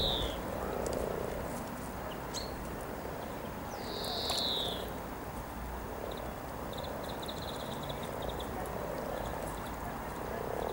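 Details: Low, pulsing purr of hundreds of frogs mating along the Norwich riverside walk near Cow Tower on 7 April 2013, with a couple of descending bird whistles and faint high twittering.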